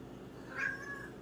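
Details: Domestic cat seeking attention, giving one short rising-and-falling meow over a quiet indoor background.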